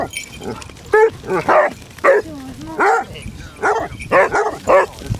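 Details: Basset Hounds on a December 4th 2016 pack walk of 16 hounds across Marlborough Downs, North Wiltshire, giving about nine deep, arching baying barks at irregular intervals, with a low drawn-out whine between them and faint outdoor background noise.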